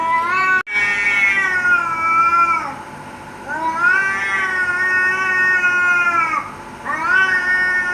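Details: Cats in a fight, snarling threats at each other with loud drawn-out yowls, each held two to three seconds with a wavering rise and fall, three in a row, and one sharp click near the start.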